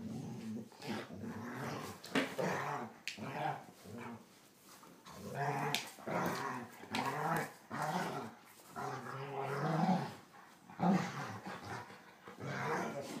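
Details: Two pet German Shorthaired Pointers indoors, younger Copper pestering his older sister Zoie: rough, throaty growls come in repeated bursts, with a person's voice mixed between them.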